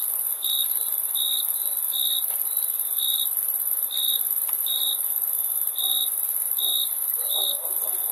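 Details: Crickets chirping in short, bright, high-pitched pulses, some doubled, spaced unevenly about every half second, layered over a persistent piercing high buzz from other insects.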